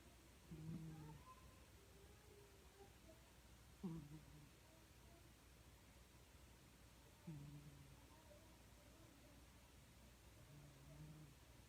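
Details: Pet cat named Sango, a habitual snorer since kittenhood, sleeping indoors; soft, low rumbling snores with a faint voiced tone recur roughly every three to four seconds over a quiet room hiss.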